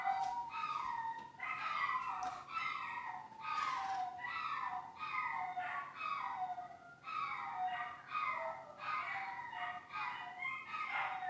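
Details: Dogs screaming behind the scenes of The Cooking Doc: a run of loud, wavering, harmonic wails, each about a second long and sliding downward, repeated almost without pause, in a small indoor room.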